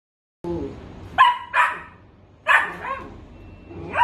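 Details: Sausage dog barking in short, high, yappy bursts, two close together, then another pair about a second later, over a faint low background hum.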